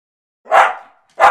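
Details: A large rescued Welsh Terrier reacting to a talking squeaky toy indoors; one loud, harsh bark with a trailing rasp, then a second sharp bark cut short.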